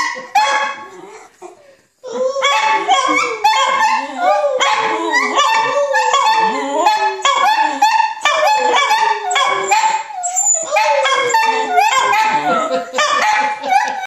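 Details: A chorus of dachshunds howling together, with long bending howls, rising yelps and falling moans overlapping almost nonstop after a brief pause near the start.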